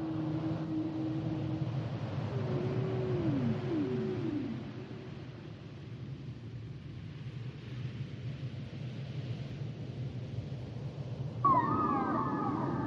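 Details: Humpback whale song: a steady low moan, then a series of smooth downward-sweeping tones, a quieter stretch, and finally a louder, higher tonal cry with upper harmonics over a constant low rumble.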